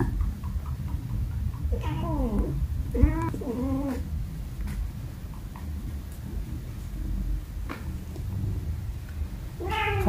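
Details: Cat and kitten at play with baskets at home; several short harmonic meows in a cluster early on, another at the end, with soft rustling and a constant low background rumble.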